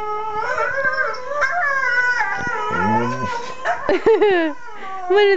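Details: A husky-collie cross dog just over one year old chimes in while a video plays, singing in wavering, drawn-out howls with a sudden, surprising deep, grumbling baritone note.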